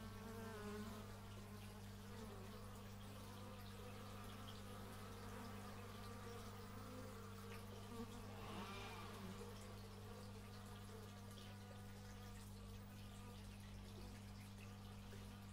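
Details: Several bees buzzing outdoors, captured with an x/y stereo microphone; shifting, uneven drones swell and fade as individuals fly by, with a constant low machine-like hum beneath.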